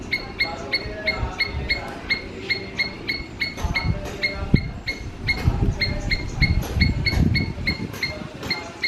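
A squirrel gives short, sharp chirps repeated about three times a second over low background rumble.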